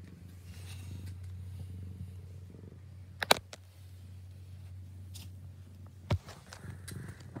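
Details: A domestic cat purring: a steady, low, continuous rumble that runs through the whole stretch. Two sharp clicks or knocks break in, one near the middle and one toward the end, over a quiet indoor background.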